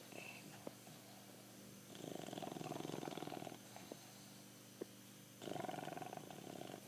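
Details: Pancho, a pet bulldog, snoring while asleep: rough, pulsing rattling snores in two long bursts, with quiet breathing between them and a few soft clicks.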